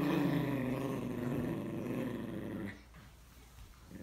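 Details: A Morkie and a Yorkie trade a rough, pulsing growl for nearly three seconds, rumbling with rapid vibration before stopping abruptly, leaving a quiet room.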